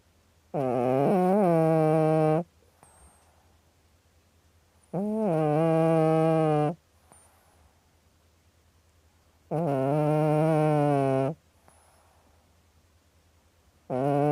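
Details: Sleeping cat snoring in a slow rhythm, three long droning breaths roughly every four to five seconds, each a steady nasal buzz with a small wobble at the start, separated by near silence indoors.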